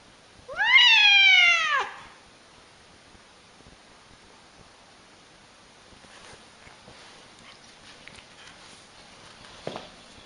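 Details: Angry cat giving one loud harmonic yowl that rises then falls, lasting just over a second, followed by near silence with faint rustling and a short knock near the end.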